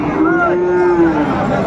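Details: A Friesian bull calf at Raniganj cattle market in Dinajpur, Bangladesh, 23 December 2024, gives one drawn-out moo lasting about a second, steady then slightly falling, with market voices behind.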